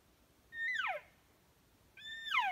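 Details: Two Roosevelt elk (Cervus canadensis roosevelti) bugles during hunting season in steep Oregon coastal timber, each a high whistled note that holds steady, then slides sharply downward.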